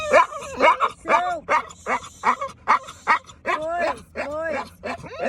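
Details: An American Bully (pit bull) puppy gives rapid, arching yelps and whiny howls, a sound its owner had never heard it make before, over a person's laughing voice.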